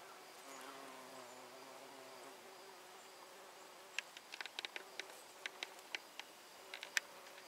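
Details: Honey bees gathering nectar from flowers give a low, wavering buzz that drifts in pitch as they fly close, then fades.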